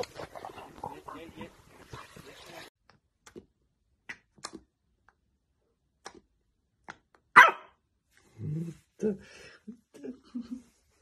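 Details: French Bulldog from a compilation of funny puppy moments: human talk fills the first seconds, then a few short, gruff, low barks and woofs in quick succession near the end, with soft clicks and a sharp knock between.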